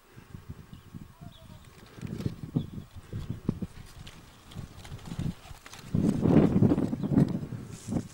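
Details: Geladas in the Simien Mountains, Ethiopia, give low, rapid grunts and throaty pulsed calls, swelling into louder voiced moans near the end.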